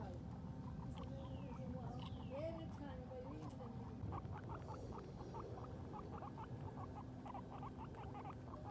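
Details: Sheik and Penny, a pair of female guinea pigs outdoors for the first time while grazing on grass, give a run of short rapid chirpy pulses, with a few gliding whistles early on over a constant low drone.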